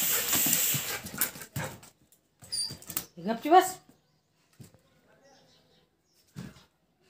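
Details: Labrador Retriever playing with a cow calf gives one short rising whine-like yelp, preceded by rustling handling noise and brief human voice, then quiet with a few faint knocks.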